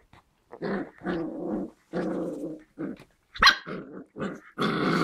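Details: Seven-week-old white German Spitz (Großspitz) puppies from a litter of five females and one male, growling in a series of short, rough, harmonic bursts with brief gaps, ending in a louder, broader snarl.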